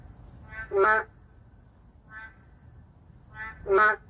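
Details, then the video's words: Endangered narrow-mouthed frog calling in the middle of a city: two loud, nasal, quacking croaks about three seconds apart, each preceded by a softer, shorter call. Quieter answering croaks come between them. "도심 속 멸종위기 동물 맹꽁이 울음소리 (Narrow-mouth frog crying sound)"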